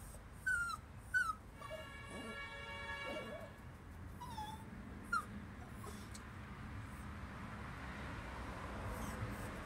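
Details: Male Chihuahua whining because he is scared of the neighbour's dog: two sharp, high whines sliding downward in quick succession, then fainter falling whimpers a few seconds later, over a steady low background hum.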